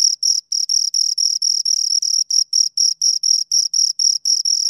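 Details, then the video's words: Two crickets chirping close up: clean, high-pitched pulsed chirps with a strong tone and a fainter higher overtone, about four per second in an even rhythm, on a silent background. "Two Crickets Chirp Sounds for Two Hours Right on Your Ears"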